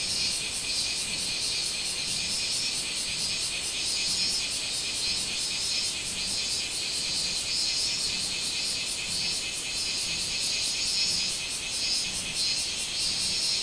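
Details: Minmin cicada calling on 24 July 2016: a dense, shrill buzzing in a high band, pulsing steadily about twice a second without pause, like a continuous summer chorus.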